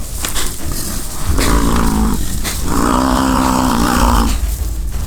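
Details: American bison fighting during the rutting season on the Peace River Ranch, Fort St. John, British Columbia, Canada; two drawn-out, deep harmonic bellows, each over a second long, rise above a steady engine rumble.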